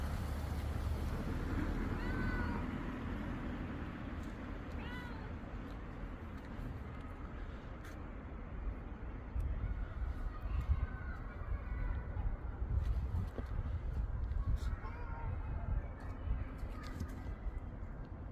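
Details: Street cat in Korea giving soft, short meows around two and five seconds and again near twelve and sixteen seconds, thin rising-falling cries over steady low traffic rumble.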